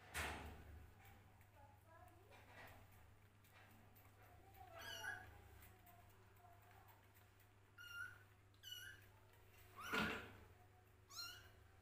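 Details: Hungry kittens competing for a bottle of milk, giving short high mews spaced irregularly, several clustered near the end, amid faint murmuring voices and a low background hum.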